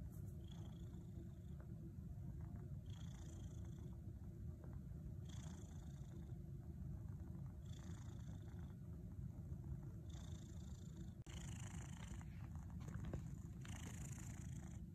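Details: Pet cat purring steadily while kneading in a teepee, a continuous low rumble throughout with faint higher hiss-like pulses every two to three seconds.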